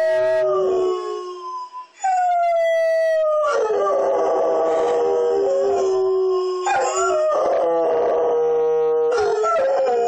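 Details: Pet dogs Bogart and Baylor howl in unison with a fire truck siren, overlapping long sliding wails that rise and fall, voices layered against each other with a sharp yip in between.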